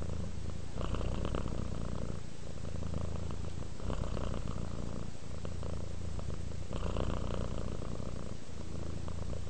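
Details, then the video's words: Relaxed house cat Rudolph purring steadily, a low throaty rumble with a raspier lift on each breath, the rhythm breaking into roughly five breath cycles with brief dips between them; no other sounds intrude. "Sleep while Purring Cat Relaxes"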